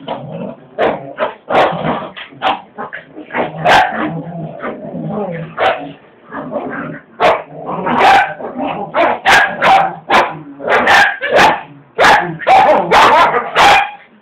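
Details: A Corgi and a Cavalier King Charles Spaniel fighting over a towel trade low rumbling growls broken by sharp yips and barks.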